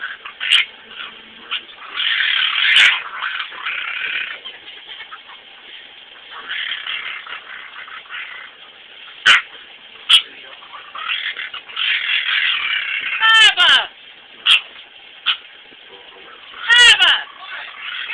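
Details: A male dog makes odd whiny, grumbling sounds with a few sharp yips and squeaky whines after his owner pretends to bite him.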